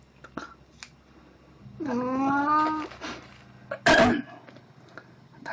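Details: Indoors on April 1, 2017, Plan the cat, wearing a Snow White costume, lets out one drawn-out meow that wavers slightly. A short cough-like burst follows, with faint room noise.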